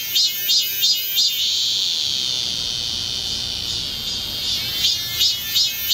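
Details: Seoul cicadas on Galsan hill, Gocheok-dong, in the height of summer. A few sharp buzzing pulses swell into a long, even, high drone, and then the pulsing resumes.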